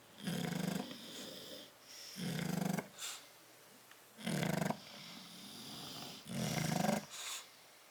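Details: Sleeping in a crate, bulldogs Tyson and Tyra snore loudly; four gravelly, vibrating snorts with softer whistling exhales between them, roughly two seconds apart, recorded 10/30/12.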